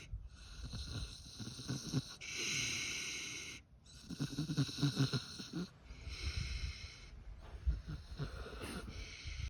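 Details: Snoring of a sleeping pig kept on free-range pasture: loud rasping inhalations in an uneven rhythm, separated by short pauses, with faint snorts and soft low rumbling beneath.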